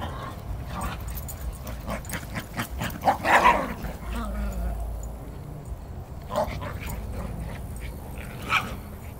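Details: A black brindle Cairn Terrier playing outdoors, chasing a foster dog to win a stick, recorded 11 September 2010 on a camcorder: a few short sharp barks and yips amid scuffling, panting and steady low rumbling background noise.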